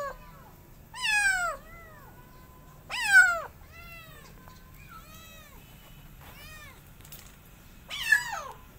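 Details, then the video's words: Late-night rescue of two feral kittens found abandoned: three loud, strained meows dropping in pitch, with softer, fainter mewing calls between them in an otherwise quiet setting. "Kittens Hissing & Spiting"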